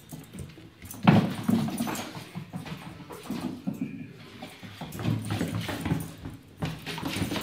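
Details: Six-month-old whippet puppy playing indoors with a racket and tennis ball: a short, low, growly vocal burst early on, followed by scuffling, soft thumps and rustling as the play continues.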